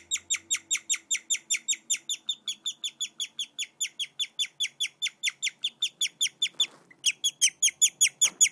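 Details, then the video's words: A guinea pig named Cotton chirps in a fast, steady series of high, bird-like squeaks, about three each second. "Guinea pig Chirping sound"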